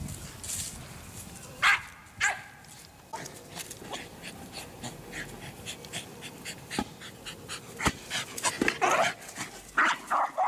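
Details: American Eskimo Dog, a white-coated Nordic Spitz breed, giving a few short sharp barks, two louder ones close together early on, then scattered soft clicks and knocks, with a last burst of yappy barking near the end.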